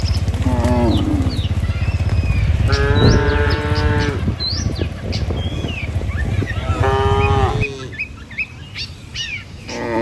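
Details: Morning herd of tame cattle walking over a river bridge toward the village fields, giving several long moos, one rising at the end, over a heavy low rumble, with scattered bird chirps and whistles.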